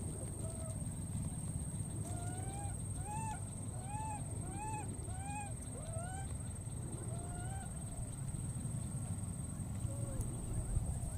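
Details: A wild baby monkey, after recklessly crossing water, gives a rapid series of clear, arched, whistle-like coos, repeatedly calling for and searching for its friend.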